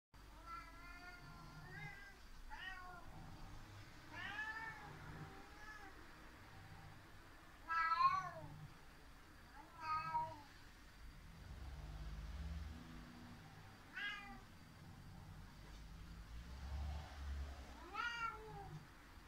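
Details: Cat named Seven (セブン) meowing loudly indoors after the cat Eight fled up the cat tower, seemingly complaining: drawn-out harmonic meows, some rising then falling, spaced every few seconds with quiet gaps and low room rumble.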